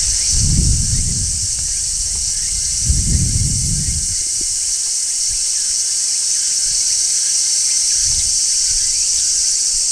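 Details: Midsummer song of a large brown cicada perched on a tree: an unbroken, even, hissing high shrill that never pauses, overlaid by a few dull low-pitched bumps and rumbles in the first four seconds.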